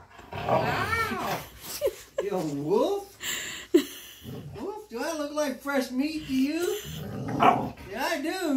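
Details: Female Siberian Husky pinning her owner in play, as she does every night, indoors: drawn-out grumbling, rising-and-falling woo-woo vocalizations in several bursts, mixed with a man's laughing and talking.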